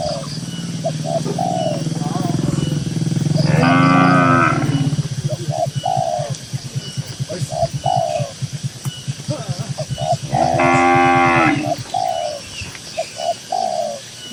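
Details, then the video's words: Herded tame cattle grazing in a cool green rural pasture give two loud, harmonic moos about seven seconds apart. A steady low rumble runs underneath, with brief doves cooing between the calls. "Suara Moo Moo Sapi Lembu yang Lucu di Tengah Ladang Hijau yang Sejuk"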